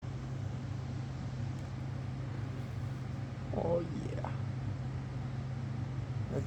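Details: Pet cat rolling over, giving one short soft mew that rises and then falls, heard mid-way over a steady low droning hum.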